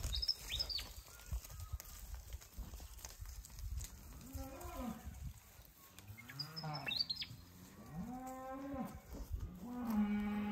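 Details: Ten PTIC Hereford cows lowing: several drawn-out moos with rich harmonics, rising then holding steady before dropping, overlapping one another in the second half. High chirps from small birds and rustling background noise are heard between the calls.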